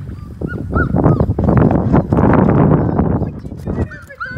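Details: Six five-week-old Labrador Retriever puppies try a dip in the water of the baby pool they were born in. Short, high, whiny yelps rise and fall twice early and again near the end, over loud splashing and sloshing water.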